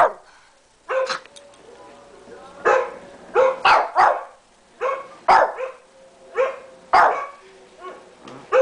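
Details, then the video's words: Tommy, a 13-pound Shih Tzu pet described as a guard dog, barks at the computer: sharp high yappy barks singly and in pairs at irregular intervals, with a faint steady tone in the background. "Tommy the shih tzu barking at the computer"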